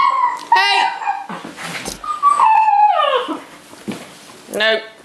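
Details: Neapolitan Mastiff puppies at home give high, wavering whines and short yips, one long falling whine in the middle, with a person talking over them.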